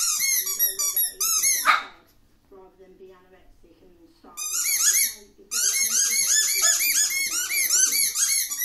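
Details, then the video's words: Horlicks, a male Shih Tzu, gives bursts of shrill, arched squealing whines in quick succession, breaks into near silence with faint low murmurs, then resumes a rapid squeaky series. "Shih-tzu and noise"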